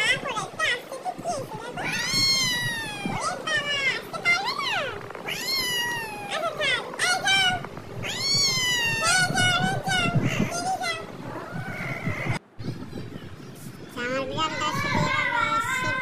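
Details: Cats in a homemade clip: a run of loud, drawn-out meows, each rising then falling in pitch, some overlapping, with human voices talking throughout and a brief sudden drop in sound near the middle.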